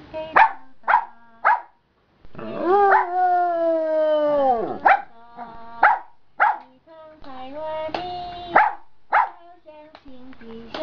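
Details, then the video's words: Giant panda singing out loud again after a rest in the afternoon: crisp chirps repeated roughly every half second, broken by a long moan that bends downward, then more chirps and shorter tones. "Panda Practicing Singing in the Afternoon"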